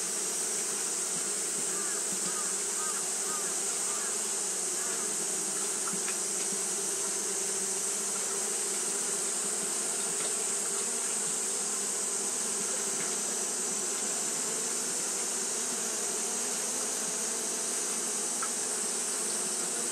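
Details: Continuous hum of Japanese honey bees fanning through hot weather, thick and even, with a few brief faint chirps mixed in and a persistent high-pitched hiss above.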